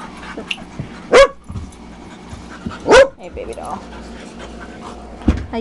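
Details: Two sharp, loud barks about two seconds apart come from dogs at play at Carrie's Critter Camp, with Tetra the Husky and Myla the Red Lab among them, over soft panting and a person chatting in the background.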